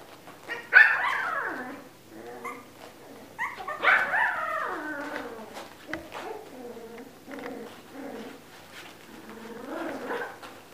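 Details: Siberian Husky puppies at a breeding kennel near Moscow give a series of high, wavering whines and yelps that slide downward, with several overlapping bursts and short pauses between them.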